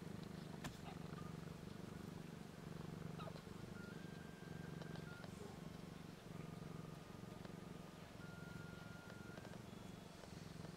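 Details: Four week-old kittens nursing on mother cat Missy "BlueBelle", just starting to purr; an even, low-pitched purring drone continues steadily, overlaid by faint, thin steady tones and occasional clicks.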